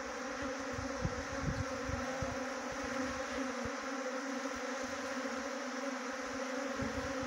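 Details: Trapped honey bee swarm in Jaunsar Bawar, Dehradun, Uttarakhand: unbroken low humming drone over a wash of hissing noise, with scattered dull thumps.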